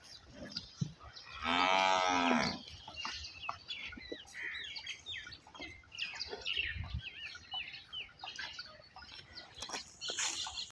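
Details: One-second harmonic moo from a Nili-Ravi buffalo at a modern dairy farm in Pakistan. The background is busy with many small chirping bird calls and farm noise.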